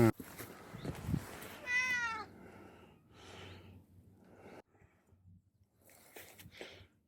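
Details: Mother cat living on a Yangpyeong mountainside, responding after a puppy stole her snack, gives one brief wavering meow amid rustling, shuffling noises and scattered knocks.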